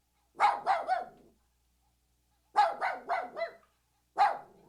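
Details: Puppy barking in rapid bursts: three quick high yaps, a long pause, a run of four yaps, then one more, each bark short and sharp with a slight falling tail.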